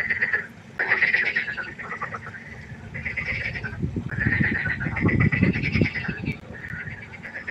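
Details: Night pond frog concert with bursts of rapid, trilled croaking that stop and restart in waves, and low rumbling knocks in the middle stretch.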